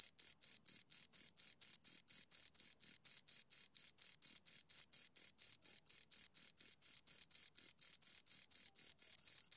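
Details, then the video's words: Two crickets chirping close up: high, shrill pulses repeated steadily about four times a second, with an even rhythm and no other sounds. "Two Crickets Chirp Sounds"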